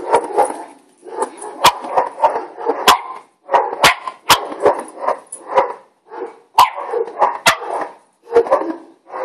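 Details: Neighbours' dogs give a steady series of loud, short, mid-pitched barks, several per second with brief gaps, and occasional sharp clicks or knocks between them.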